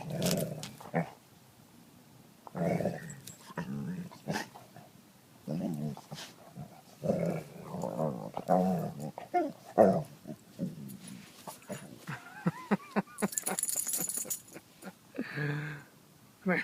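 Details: Pet dog growling in repeated low rasping bursts, some longer and rolling, broken by short pauses, with a person talking over it and a sharp high scraping noise near the end.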